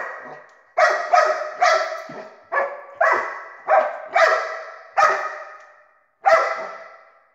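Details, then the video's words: Dog barking at a laser: nine sharp, loud barks, some in quick doubles, spaced roughly every half second to a second, with a short pause before the last. "Dog barking at a laser"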